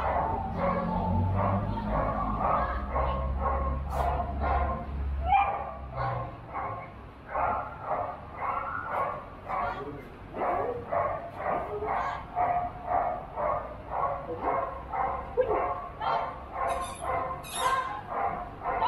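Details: Border Collie competing in a 2021 junior agility event in Rangsit, 21 November; people talk over a low hum at first, then sharp, repeated barks settle into a steady run of roughly two per second.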